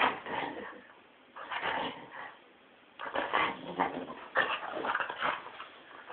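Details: Excited Tibetan terrier going wild indoors; bursts of yelping, whining barks in clusters, with quiet gaps of about a second between bouts.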